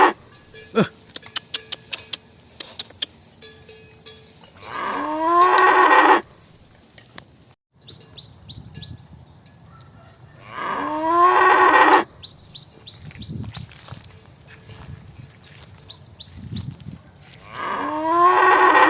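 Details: Cows, described as small cows, lowing: three drawn-out harmonic moos of about one and a half seconds each, rising then steady, spaced roughly six seconds apart, with scattered sharp ticking clicks between calls.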